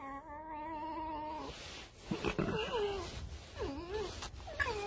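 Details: Fox being groomed indoors: a steady, thin whine lasting over a second, followed by short dipping, warbling cries and rustling, with a woman speaking softly nearby.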